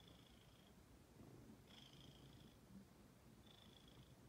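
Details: Female pet cat Ginger purring: continuous soft low-pitched rumble, overlaid by three brief high whistly breath noises spaced about one and a half seconds apart.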